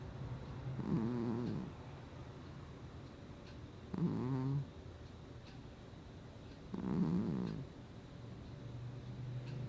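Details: Sleeping house cat recorded in August 2020, snoring steadily: three rough, buzzy low snores, each roughly a second long, coming every two to three seconds with a faint background hum between breaths.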